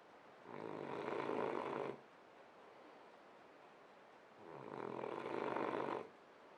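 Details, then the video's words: French Bulldog asleep, giving two long, rough snores about four seconds apart, each noisy breath lasting around a second and a half, separated by a quiet gap. "Snoring French bulldog"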